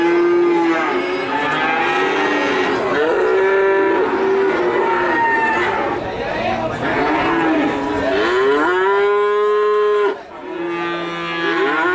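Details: Calves at Nganjuk mooing almost without pause: several high, harmonic moos overlap throughout, some rising then falling, with a short dip in loudness near the end before another moo starts.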